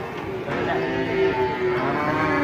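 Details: Cattle unloading from a truck, with a short, steady moo rising out of busy human chatter and exclamations.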